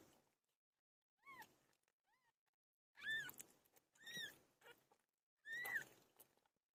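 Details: Giving birth, Pilo the cat utters a run of short arched meows, faint at first and then three louder ones about a second apart.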